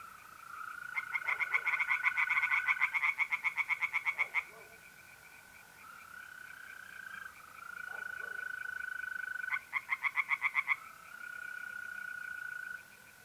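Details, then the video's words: Tree frogs singing in a pond on a mid-April night in north-eastern Italy. Two bursts of rapid, rattling pulses, about three and one seconds long, ride over a steady, high, continuous trill of mole crickets. "relaxing singing tree frogs in pond"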